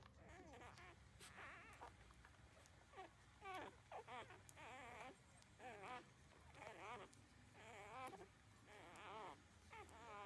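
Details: Newborn puppies thirteen days old drinking their mother's milk, with bursts of wavering, whiny squeals coming roughly once a second among soft rustling and suckling noises.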